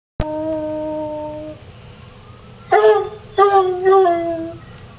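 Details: A coonhound baying in response to sirens: a long held tone around one second, then after a pause three short, loud harmonic bursts, indoors with a steady low background hum.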